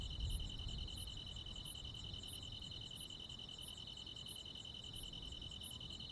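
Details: Night-time cricket and insect sounds in the countryside in high summer: a dense pulsing trill with bright, high chirps repeating about every 0.7 seconds, and soft low rumble in the background.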